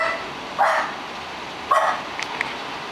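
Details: Neighbour's dog giving two short barks about a second apart, followed by a couple of faint brief high yips, over steady background hiss.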